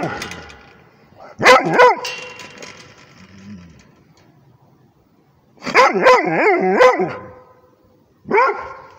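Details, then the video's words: Rhodesian Ridgeback barking at a tablet: three bursts of loud, rough barks and yowling howls separated by quiet pauses, with a short bark closing the sequence. "Rhodesian ridgeback barking at the tablet"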